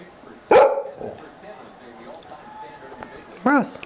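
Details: Pet dog barking at another household dog: one loud, harsh bark near the start and a higher, whining bark near the end, while a person talks to the dogs and asks for a paw shake.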